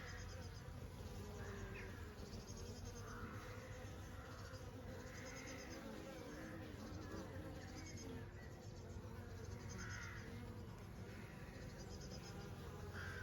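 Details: Honey bees buzzing on a summer day: a low, rumbling drone that never stops, overlaid by brief, quiet bird calls recurring every couple of seconds.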